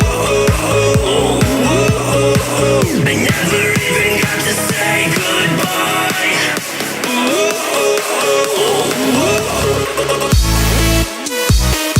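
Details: Upbeat pop music with sung vocals and electronic beats plays throughout, with a sudden heavy bass passage near the end and no animal sound.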